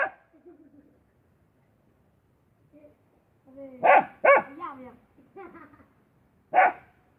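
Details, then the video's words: Dog heard with scattered barks: a few loud, sharp barks in a pair and singles spread over several seconds, with softer whining notes between, against a quiet background. "Suara Anjing"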